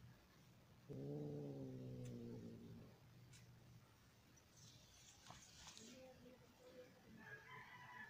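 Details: Persian cats mating; a long, low, moaning yowl, a mating caterwaul.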